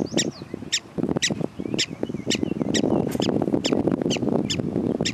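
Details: Prairie dogs calling: sharp, high chirping barks repeated about twice a second, around ten in a row, over a loud low rumbling background of wind or handling noise.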